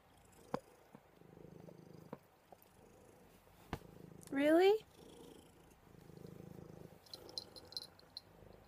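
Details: Pet cat cuddling indoors, purring steadily as a low rumbling throb in gentle waves, interrupted once midway by a short, loud, rising human voice sound and a few faint clicks.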